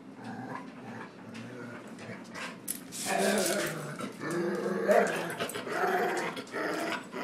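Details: Angry dog that won't tolerate being pushed around produces a continuous rumbling growl that swells louder after the first few seconds and pulses unevenly, with faint human voices in the room.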